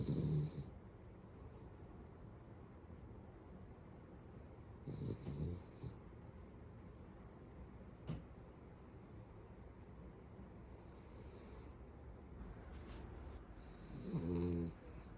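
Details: Beagle dozing indoors with remarkably loud snores: a series of gravelly snorts spaced irregularly, a few seconds apart, some short and some drawn out, the last one deep and buzzing.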